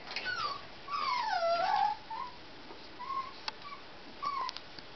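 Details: Tibetan Terrier puppies at a Hungarian kennel, born 23 October; a long drawn-out high whine sliding down then up, followed by short steady whimpers spaced about a second apart, with faint ticking clicks indoors.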